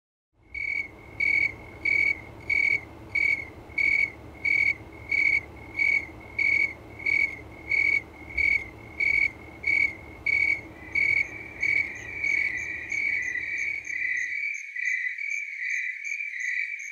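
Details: Tree crickets chorus in Oregon's Willamette Valley, a clear, sweet high trill, first in steady pulses, then as one unbroken tone.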